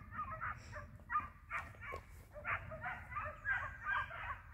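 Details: Trio of hounds hunting hare, flushing it with the hare in sight: bursts of overlapping, irregular yelping bays, several dogs calling at once, over steady low rumble.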